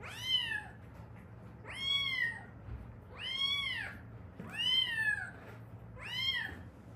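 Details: Rescued Haeundae street cat, one of a mother and daughter pair: five arched meows that rise then fall, repeated roughly every one and a half seconds, bright and harmonic over a faint low hum.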